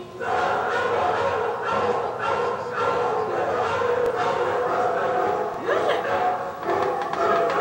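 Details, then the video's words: Several pet Siberian Huskies howling in response to a short piece played on a computer indoors; overlapping drawn-out, wavering howls blend into a continuous chorus for the whole stretch, with small rises and dips in pitch and a brief upward slide near the end. "husky howling"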